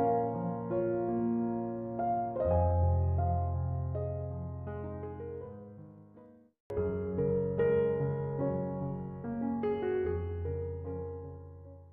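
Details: Soft piano or keyboard music plays, with sustained chords and no animal voice.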